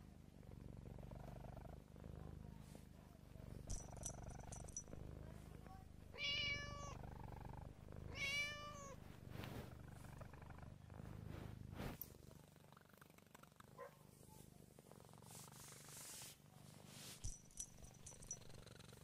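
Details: Siamese cat purring steadily, breaking into a pair of harmonic, wavering meows two seconds apart midway, with brief high squeaky tones and scattered rustles around them.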